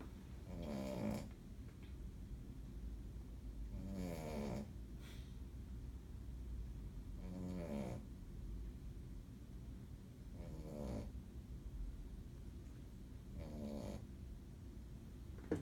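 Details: Female Shih Tzu snoring when really tired while asleep in a bed indoors; soft, low, rasping snores come every three seconds or so over a steady quiet hum.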